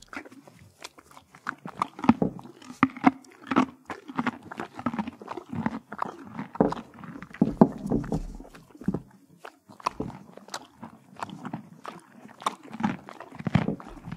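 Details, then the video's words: Horse at the Kentucky Horse Park in Lexington, Kentucky, eating carrots, apples and peppermints: a steady run of sharp, crisp crunches and bites, several per second, with moist grinding between them and no other sounds. "Horse Eating ASMR"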